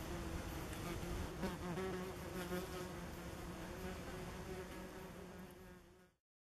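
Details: Common wasps around their nest among tree roots at a woodland path edge, late summer 2015. A continuous buzzing drone of several insects, loudest early on, gradually fading before cutting to silence.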